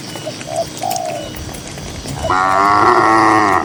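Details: Grazing tame cattle on a cool green field in the countryside; after a quiet stretch with a few short high chirps, one loud, sustained, harmonic-rich moo begins and carries to the end.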